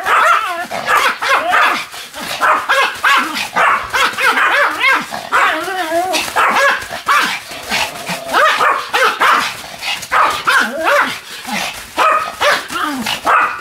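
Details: Pomeranian Sam barks and yips almost without pause while spinning at high speed on a new mat, about 155 turns, 24 November 2015. The calls are sharp and high-pitched, with wavering whine-like tones between them.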